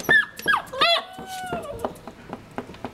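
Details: Wrestling puppies let out sharp yelps and a drawn-out wavering whine lasting under a second, followed by softer scuffles and short squeaks while someone talks to them.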